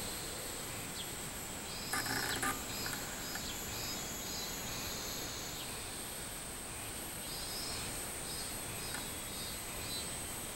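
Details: A robust cicada (Hyalessa maculaticollis) sings a pulsing, repeated 'meen-meen' over a steady high insect hiss, recorded 24 July 2016.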